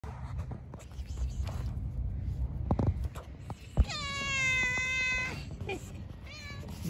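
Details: Cat living in a park; after rustling and a thump, a long drawn-out meow holds steady for about a second and a half, then a short second meow follows, with a person speaking Turkish just afterwards.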